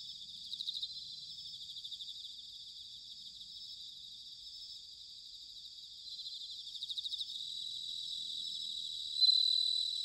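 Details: Autumn bell crickets at Sanuki, Chiba, Japan: overlapping high pulsed trills that rise in short bursts, with one clear, loud ringing note near the end.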